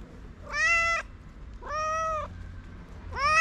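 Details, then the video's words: Homeless street cats, hungry and waiting for food, meow in turn: three long, level, harmonic meows roughly every second and a half, clear above a quiet outdoor hum. "Hungry cats waiting for the litter thank me after getting delicious food."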